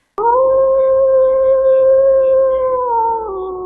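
A gray wolf's single long, steady howl, held at one pitch for about three seconds before sliding slightly lower at the end.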